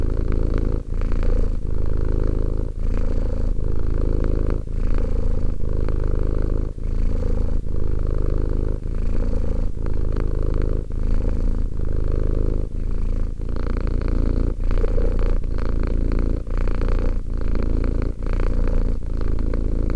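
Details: Relaxed purring of a two-year-old domestic cat, a thick low-pitched rumble that keeps going with small gaps at each breath, roughly every one to two seconds, in a quiet room.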